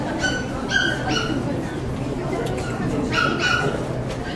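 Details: Dog barking at a Saitama West poodle club show, 9 June 2008. Two pairs of shrill, clipped yaps, the first early and the second near the end, with constant murmuring voices filling the room.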